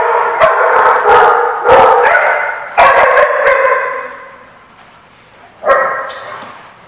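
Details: Loud, echoing dog barks come in quick clusters, then fade to a pause before one more sharp bark near the end; recorded at a barking lot on 4/10/15.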